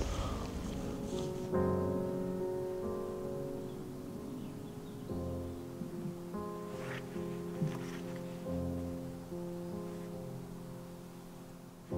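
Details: Soft instrumental music with sustained piano-like chords plays throughout, with faint rustling and no clear animal calls.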